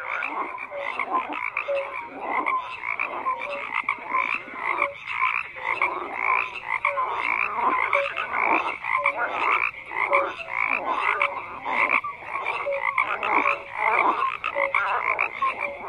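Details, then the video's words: Continuous frog chorus: dense, overlapping raspy croaks rising and falling in rhythmic pulses, sprinkled with short clear notes, with no other animals, voices or background noise. "FROGS CROAKING"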